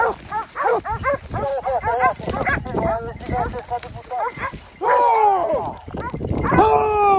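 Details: In Pratomagno, Arezzo, Italy, hunting dogs hold wild boar during a drive hunt. Rapid, yelping barks fill the first half, then long drawn-out wavering cries and loud human shouting take over.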